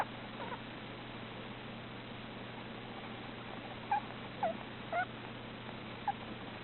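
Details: A sleeping male Russian dwarf hamster, napping inside a scarf, gives faint little squeaks in a short irregular cluster, each a tiny pinched chirp, over a steady low electrical hum and room noise.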